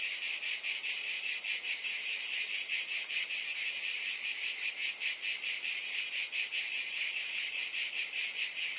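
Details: Cicada drone, high and hissing, held without a break and beating in a gentle, even rhythm of a little over two pulses each second.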